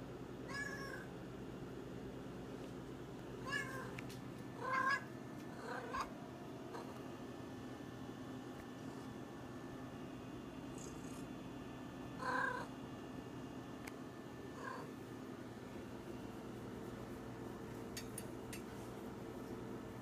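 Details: Cat wanting attention, giving several short, scattered meows and chirps spread across the recording, with faint background hum between calls.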